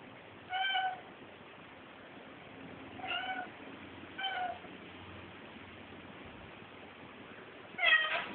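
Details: Large tabby cat going after a moth it clearly dislikes, uttering four short, clipped meows with bright harmonic bands, spaced irregularly over eight seconds with quiet stretches between them and a soft low background hum.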